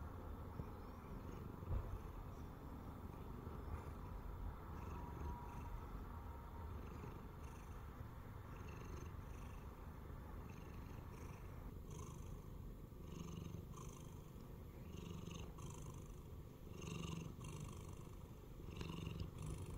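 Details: A formerly stray Siamese cat lying on a person's belly purrs in a steady, deep, rumbling drone without a break.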